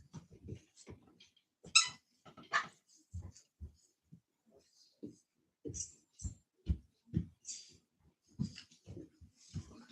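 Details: Cane Corso, or Italian Mastiff, from a breeder's pack west of Nashville, Tennessee, heard indoors in a small room: irregular bursts of short, low huffs and breathy snorts with a few faint whimper-like sounds between quiet pauses.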